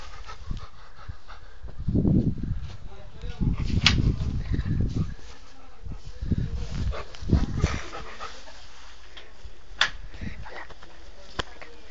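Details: Friendly, playful and affectionate Rottweiler dog panting in low, breathy bursts, with a person speaking Spanish nearby and a few sharp clicks.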